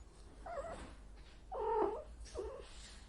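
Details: Female domestic cat in heat, giving three short, muffled wailing cries at about one-second intervals, the middle one longest and strongest, over a low steady hum.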